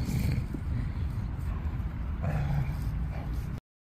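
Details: Dog protecting its fetched stick from people trying to take it away, giving a deep sustained rumbling growl with a brief louder snarl near the middle, low and continuous until it stops abruptly.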